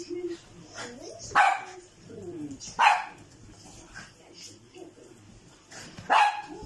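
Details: Poodle puppies giving three sharp, high yapping barks spaced over several seconds, with soft voices and small whimpers between them.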